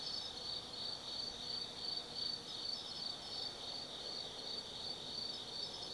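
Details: Autumn insects singing at night in the Tsukimi no Mori forest, Kaizu, Gifu Prefecture, Japan, at a lookout 180 m up over the Nobi Plain: a dense, steady high chorus of pulsing trills with faint chirps above, no other sounds.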